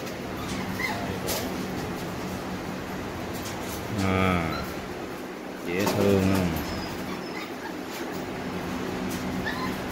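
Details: Brown Tiny mix Teacup Poodle puppy receiving its first distemper (Carre) vaccination whines in two drawn-out, wavering cries about two seconds apart, over a steady background hum with soft human speech.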